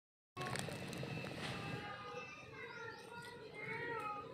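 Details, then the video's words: A mother cat calling her kitten, with several drawn-out meows in the second half, each falling in pitch, over steady background noise and some speech-like sounds. "Cat Calling Her Kiten"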